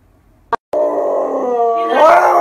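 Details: Water-fearing Siberian Husky protesting loudly throughout a bath, a sustained harmonic howl that holds steady then jumps higher and strains near the end, after a brief sharp click.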